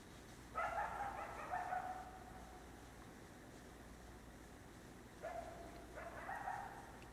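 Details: A coyote at night gives two bouts of wavering, yipping howls that slide downward, separated by a few seconds of quiet; such calls may signal pack members or mark territory.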